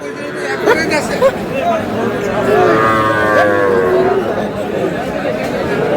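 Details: Sahiwal bull calves at a Bangladeshi cattle market on 21 April 2026: a drawn-out moo in the middle, partly buried under a man talking loudly, a few sharp knocks near the start, busy market chatter throughout.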